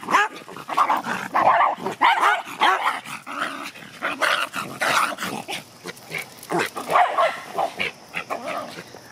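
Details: Five excited pet dogs on their first car ride to Vet Park since July 28th, barking and whining on the short drive to the local park; loud, uneven bursts of barks and yelps tumble over one another, about one and a half per second.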